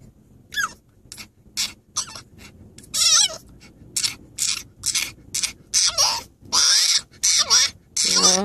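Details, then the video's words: French Bulldog objecting to riding in a car, giving scattered short whimpers and yelps with a few rising-and-falling whines, mixed with a person's reassuring voice nearby. "French bulldog car ride protest"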